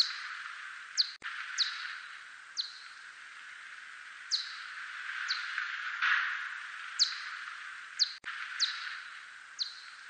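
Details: A steppe whiskered bat, recorded in 2020, gives brief, steeply falling chirps repeated at uneven intervals over a steady hiss.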